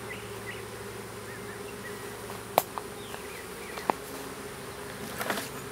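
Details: Small swarm of honey bees being hived in a privet thicket in south Alabama, 12 April 2014; constant droning hum under a few sharp clicks and taps, with faint bird chirps in the distance.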